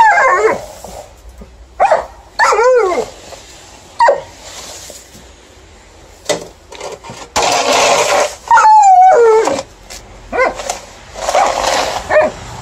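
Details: Alaskan Malamute female, happy with new December snow but vocally opposing its shovelling at night, recorded on phone: arching high yips, a quavering falling howl, and bursts of shovel scraping between calls.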